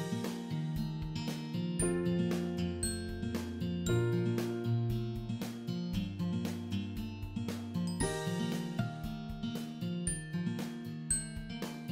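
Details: Gentle piano-like music with sustained chords and bright tinkling notes plays throughout, and no animal voice is heard.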